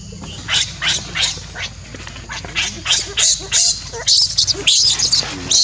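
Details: Baby monkey being weaned by its mother, who reacts strongly to stop it nursing and grabs its hair; harsh, noisy, high-pitched screeching bursts in rapid succession, growing more intense toward the end.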